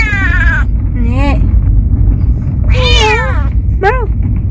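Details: Pet cat travelling for the first time, out sightseeing, meows four times in a few seconds, each call bending down then up, louder in the middle, against constant low engine drone.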